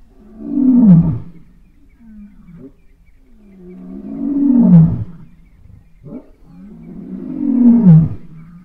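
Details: A Southern African lion roars with three deep, moaning grunts, each sliding down in pitch, about every three seconds, with soft breaths between them.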